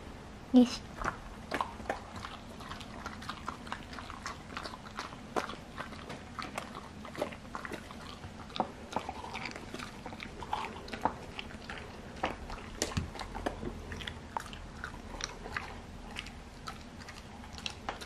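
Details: Twin sister Golden Retriever x English Cocker Spaniel mix dogs, indoors, excitedly tearing into an extra-large sea bream skin jerky: dense crunchy bites and wet chewing clicks, irregular and rapid throughout, with a faint low hum behind.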